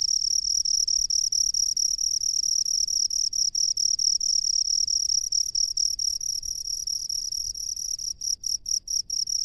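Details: Rice-field cricket trilling shrilly and steadily, the ringing tone ending in a series of separate rapid chirps repeated about twice a second, with faint low rumble behind.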